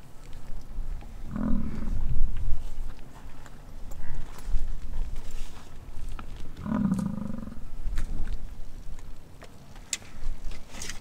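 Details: American bison bellowing during the rut on a Wyoming ranch near Wright; two deep, drawn-out growling roars, each about a second long and some five seconds apart, low and rumbling like a lion, over steady low wind rumble.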